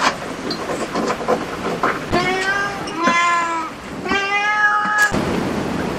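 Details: Cat at a cat cafe meowing in three drawn-out harmonic calls, the first rising then falling, the later two steadier and level, with light room noise and faint clatter around them.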